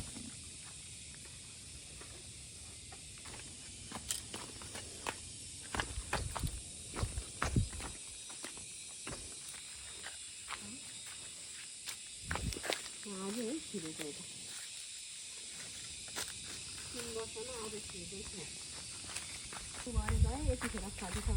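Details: Domestic goats in a Nepali village being fed kholé mash; several wavering, quavering bleats come midway and again near the end, over steady background hiss with footsteps and handling thumps.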